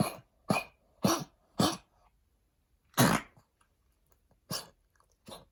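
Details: A senior Pekingese gives harsh, dry coughs in short bursts, from lung damage after heartworm disease and its treatment; the cough began as his steroids were being tapered.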